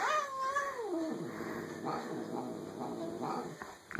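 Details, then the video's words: Rogue the pet cat making funny noises: a short wavering yowl sliding downward, followed by faint low grumbling under a steady background hiss. "Rogue the hellcat making funny noises"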